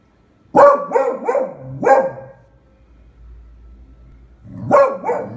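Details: Frightened of a pram, the Beagle Eva fires off a quick burst of four barks, pauses with a low hum in the background, then barks twice more; February 20, 2016.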